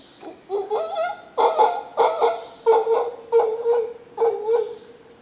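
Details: Hoarse, pulsing grunts from howler monkeys in Costa Rica, in paired bursts roughly every second. A persistent high insect buzz underlies the calls.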